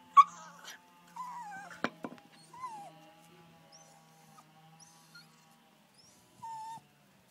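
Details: Jack Russell Terrier crying because it wants to play: short, high, wavering whines and yelps separated by quiet gaps, with a couple of sharp clicks or knocks in between.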